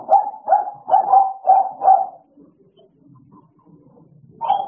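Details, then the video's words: Idol and Alice, two American Bullies, playing: five sharp, evenly spaced barks roughly every half second, then a near-silent stretch with faint low rumbles before one more bark at the end. "American bully idol and alice playing time"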